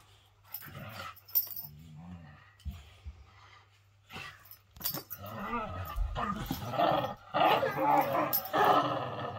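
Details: Male whippets playing together, a pair of boys romping: short rumbling growls early on, then a dense run of rough, grumbling vocal bursts through the second half, with scuffling thumps between them.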